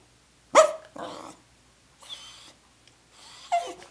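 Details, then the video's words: A pet dog sings to his teddy bear at naptime with three short bursts of yowling, whining voice over four seconds. The first is loud and sharply pitched, the later ones are softer and higher, in a quiet room. "Dog singing teddy bear to sleep"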